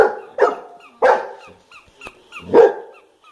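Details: Pet golden retriever barking in reaction to a toy: three short, sharp barks spaced irregularly across the clip, with faint tonal music playing softly in the background.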